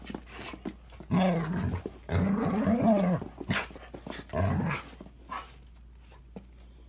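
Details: Toy Manchester terrier and Standard poodle in a vicious fight, snarling growls in bursts around one and two seconds and again near four seconds, with harmonics rising and falling, scuffling thuds between, indoors.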